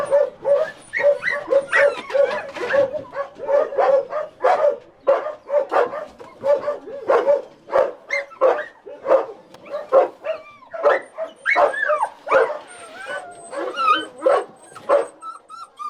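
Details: Dog with an embedded collar crying during a rescue, a series of short, high whimpers and yelps pulsing roughly every half second, some with rising and falling pitch, and occasional sharper yips.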